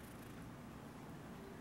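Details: Hamlet, a pet cat, purring on May 26, 2016: a soft, steady low rumble with a faint pulsing texture, continuous and even throughout, quiet and close, with no voices over it.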